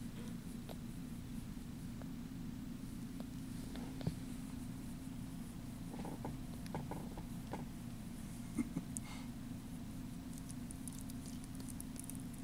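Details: Steady low purring from tiny bottle-fed foster kittens, around ten days old when taken in, continuing unbroken through the clip with faint clicks and soft rustling indoors.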